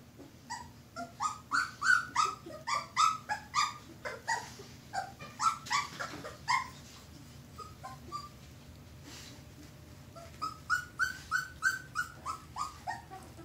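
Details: Red Standard Poodle puppies, two weeks old, fill the room with rapid overlapping squeaks and whimpers, each cry short and bright, coming several times a second, easing off midway before a fresh burst, over a low background hum.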